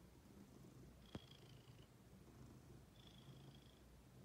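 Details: Low, even purring from Ginger, a female house cat, with a sharp click just past the first second and two thin high whistled tones in the background.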